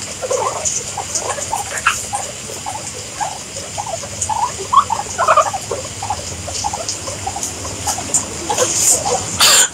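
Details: Guinea pigs giving soft, short squeaking notes in a scattered series, fairly quiet, with a steady high hiss behind them and faint rustling at the end.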